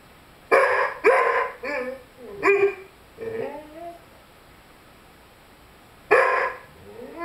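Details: Five-month-old Rhodesian Ridgeback named Lyle with his beloved squeaky chicken toy, giving a run of strained yelps and wavering, bending whines, some pitch slides rising and falling, then a pause and one final sharp cry.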